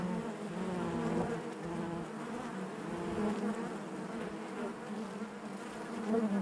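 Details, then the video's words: Honey bees humming within the hive, a quieter, steady drone with smooth harmonic layers and slight waves in loudness, a few faint close buzzes near the end. "bees therapy hive natural buzzing sound"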